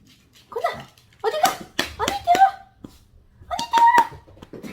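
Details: Yorkshire terrier indoors, left alone guarding the house, greeting family members as they come home. It gives high, drawn-out whines and squeals in three or four bursts over about five seconds, each sliding up and then levelling off, with short sharp edges between them.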